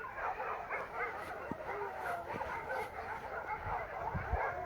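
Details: About 350 dogs at a rescue bark all at once in a dense, unbroken chorus of overlapping yaps and woofs while the single caretaker tries, without much success, to calm them.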